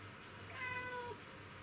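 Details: Black house cat in hunting mode going after an insect, 20 August 2017: one clear, rich meow lasting about half a second, bending downward at the end, with a faint steady hum underneath.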